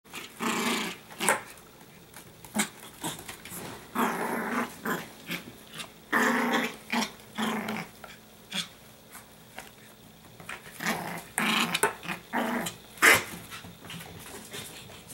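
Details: Ferocious, playful 12-week-old Pomeranian puppy growling: rough, noisy growl bursts of roughly a second each, coming in irregular runs throughout, with a few sharper louder snarls between quieter pauses.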